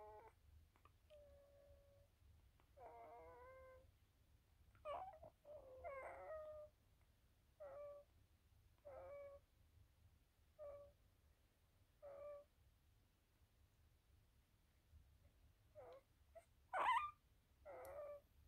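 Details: Havanese puppies one week old, giving short whiny squeaks and mewing calls with stacked harmonics, some drawn out and wavering, in bursts every one to two seconds indoors, with a quiet hum underneath.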